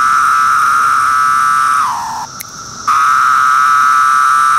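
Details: Periodical cicada, Magicicada septendecim of Brood II, calling on bark in 2013: a loud steady buzzing drone that drops in pitch and fades, a near-silent pause of about half a second, then the drone resumes at full strength.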